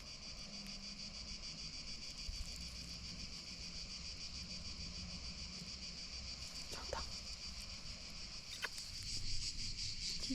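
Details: A dense chorus of cicadas in a Provence valley among trees on a hot summer day, 6 July, fills the air with a steady, high buzzing drone.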